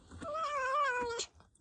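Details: Domestic cat indoors, a rescued injured cat with a sore mouth, giving one drawn-out meow, steady and slightly wavering for about a second, then cutting off; soft handling noises around it.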